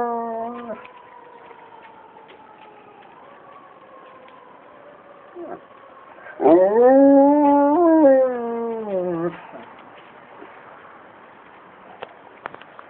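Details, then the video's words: Simba, a pet dog, howling in response to a siren. A faint descending wail gives way to one loud howl that swoops upward, holds, then slides down over about three seconds, followed by quiet with scattered clicks. "dog howling"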